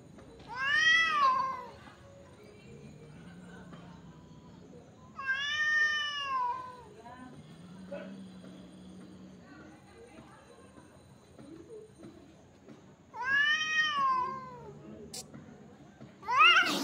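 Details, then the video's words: Cats in a fight trade three loud, piercing, wavering yowls spaced several seconds apart, with low growling rumbles in the gaps and a final sharp cry at the end. "cats fighting with sound"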